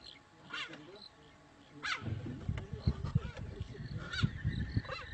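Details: Cheetah (Acinonyx jubatus), chirp.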